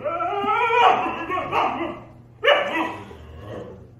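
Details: Husky and German Shepherd in an argument, heard as a long grumbling, wavering whine lasting about two seconds, followed by a sudden sharper yelp-like outburst that fades into low grumbling.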